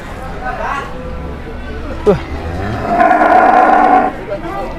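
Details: Jumbo Peranakan Ongole cattle at an Indonesian livestock market: a loud, drawn-out, harmonic-rich moo swells from about the third to fourth second after a lower rumbling phase, with people talking and market commotion around.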